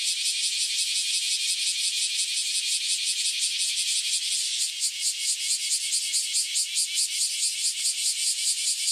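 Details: Chorus of newly emerged cicadas, up after about a decade below ground before flying off: an intense high buzz whose pulsing grows more pronounced and choppy about halfway through.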